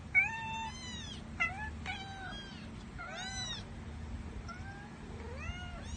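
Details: Little kittens mewing: about six thin, high, clear mews in six seconds, each bending up and then down in pitch, some short and some drawn out, over a faint low hum.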